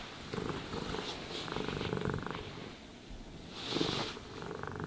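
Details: Pet cat purring as it is groomed with a brush; continuous low throbbing purr with swelling and fading phases, brief hiss-like brush strokes near the end.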